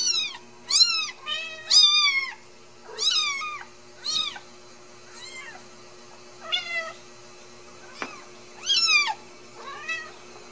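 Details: Home-raised Ragdoll kittens from a central Kansas cattery meow repeatedly, about ten high, arching cries of uneven length and loudness, roughly one per second, in a quiet room with a steady faint hum.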